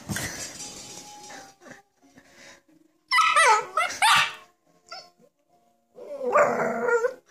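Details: Samoyed puppy angry at a bowl of water, giving loud, harsh, high-pitched barks and yaps in clustered bursts with quiet gaps between, and a faint steady tone early on.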